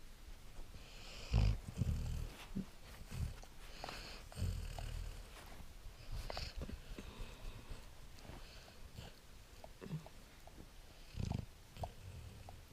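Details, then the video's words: Great Dane puppy asleep and snoring indoors, low rumbling breaths in irregular bursts about every one to two seconds, with faint room noise between them. "snoring great dane"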